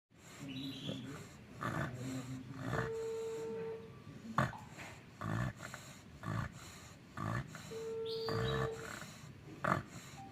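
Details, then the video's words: Bagong, an American Bully dog, snoring while asleep: rough, breathy rasps repeated about once a second, with a steady high tone sounding twice in the background. "si bagong tidur sampe ngorok"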